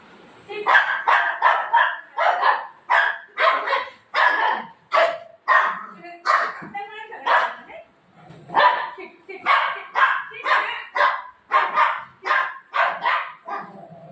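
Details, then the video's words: A golden retriever plays with mom at night just before bedtime. It lets out a long run of quick, sharp barks and yips, roughly two per second, pausing briefly near the middle. A steady high whine hums underneath. "cute golden retriever dog playing with mom"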